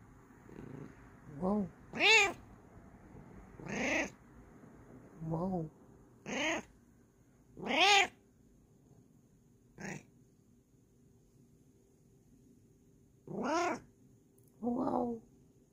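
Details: Happy female Bengal cat calling out in a string of loud, bending meows, some short and chirpy, others long and wailing, about ten calls close together in a quiet room.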